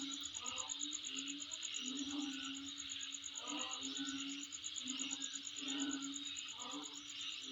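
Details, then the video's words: Insects calling near the recordist's home: a sustained high, evenly pulsed trill above a buzzing chorus, punctuated by low humming notes and short rougher bursts at irregular intervals. "Sound Of Insect In My Place"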